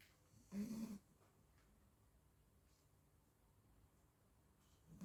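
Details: Frankie, a 40-day-old Labrador Retriever pup, asleep and snoring; one short, rough, low snore with a breathy hiss comes early, then only soft room quiet.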